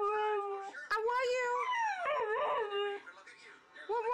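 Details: Domestic dog indoors, from a funny pet compilation, letting out a sustained wavering howl that bends up and down in pitch, with a short whine rising again at the end.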